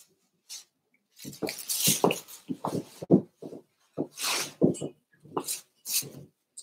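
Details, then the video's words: Cavalier King Charles Spaniel puppies playing in an indoor puppy pen at home, livestreamed: short low growly grunts and squeaks in quick bursts, mixed with rustling and scuffling noises. "Cavalier Puppies Live: Puppies Playing"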